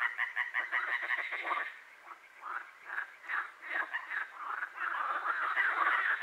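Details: Night-time frog chorus in Hłomcza near Sanok, Poland: quick, rattling croaks pulse in bursts, briefly thinning in the middle, then swelling again into a dense overlapping chorus.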